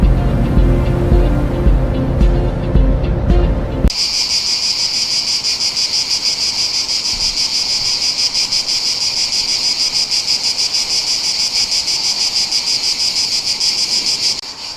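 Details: Many cicadas in the trees in front of a house in Rome, calling in the morning at the peak of summer, buzz together in a steady, high, shimmering drone that fills the air.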